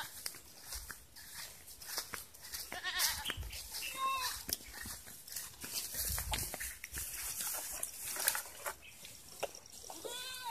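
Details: Domestic goats kept on a farm, being given water to drink; several short wavering bleats at about three, four and ten seconds, rising out of steady rustling, splashing and clattering.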